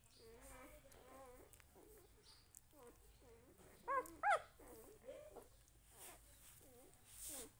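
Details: Puppy at home with its family, giving a run of soft, high, wavering whimpers and whines, roughly two to three per second, broken by two sharper, louder yelps near the middle before quieter whines resume.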